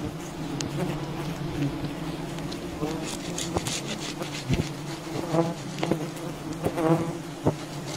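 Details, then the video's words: Wild bee colony disturbed during honey hunting, a dense steady drone of many bees with a low hum and overtone bands, broken by sharp clicks and knocks, faint voices now and then. "Wild bee honey hunting"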